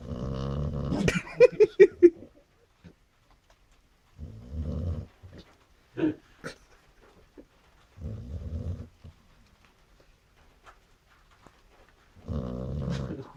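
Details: Chow chow snoring: low, rasping, harmonic snores lasting about a second each, recurring roughly every four seconds, with a few sharper snorts and clicks near the start and near-silence between breaths.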